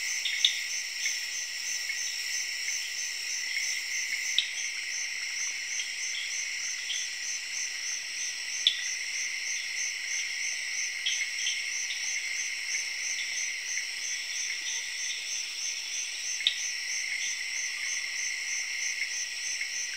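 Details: Crickets chirping on an evening in the rainforest, alongside tree frogs: steady high-pitched ringing trills layered in several bands, with occasional brief clicks and chirps scattered throughout.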